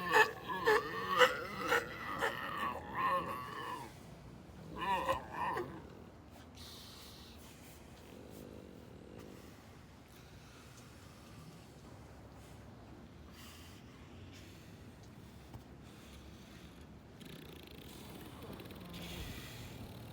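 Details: Galapagos sea lions snoring: a run of rough, rasping breath bursts, several in quick succession over the first six seconds, then a long stretch of quiet low background with faint scattered noises.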